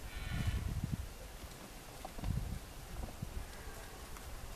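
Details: Deer at the Hoge Veluwe in the rutting season, 26 September 2013, give deep, throaty bellows in short pulsed bursts.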